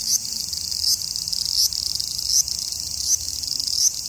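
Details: A cicada in Japan in summer gives a steady, high-pitched buzz, swelling slightly in pulses about every three-quarters of a second.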